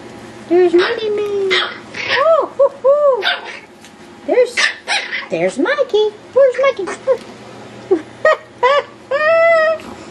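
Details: Yorkshire Terrier puppies playing wildly indoors: a rapid run of high, arching yips and sharp little barks, some stretched into whiny squeals, coming in bursts with brief pauses between them.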